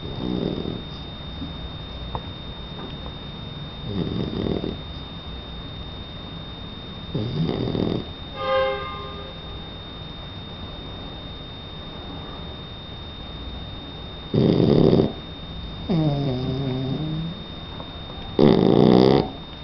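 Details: Donna, a sleeping three-month-old Shar Pei puppy, breathes in soft snuffling snores that grow into louder, rattling rasps in the last five seconds, with quiet indoor hiss throughout.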